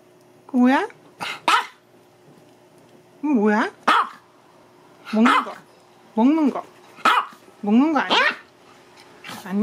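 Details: Two male Maltese dogs kept indoors at home; a series of sharp, high barks, some rising and falling in pitch, in pairs and singles spaced about every second, with a quiet room behind.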